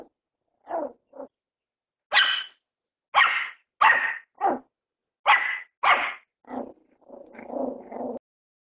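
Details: Bichon Frise puppy in crate training for toilet use, barking in a series of about ten sharp, high yaps, some spaced a second apart, ending in a rougher, drawn-out whining bark.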